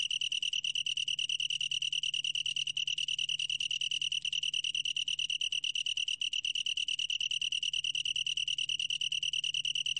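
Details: Sustained ringing song of a long-tailed tree cricket: rapid pulses fused into a steady high-pitched trill with bright overtones, unbroken for the whole stretch, over a faint low hum.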